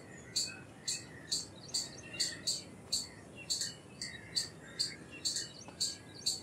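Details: Indian palm squirrel chattering: crisp, high-pitched chip notes at a fairly steady rate of about two per second. Quiet bird chatter sits in the background.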